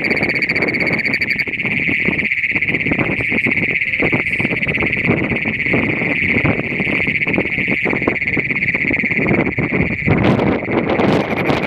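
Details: Great Plains toad (Anaxyrus cognatus) in Nazareth, Texas gives a loud, unbroken metallic trill call holding one piercing pitch.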